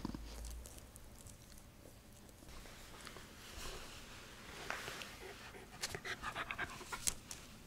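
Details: Mandoo, a Miniature Schnauzer, during tug-of-war play indoors; soft steady panting and snuffling, with a run of quick rhythmic breathy bursts toward the end and light clicking and rustling.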